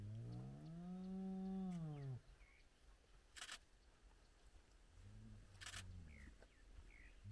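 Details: At sunrise near their den, a spotted hyena of a big clan with cubs gives one long low arched groaning call of two seconds, followed by quieter low calls, clicks and distant bird whistles.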